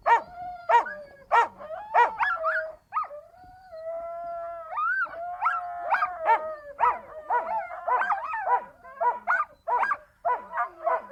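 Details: Several Siberian Huskies in chorus: bursts of rapid barking at the start and end frame long wavering howls and rising-falling yodels, the voices overlapping busily throughout.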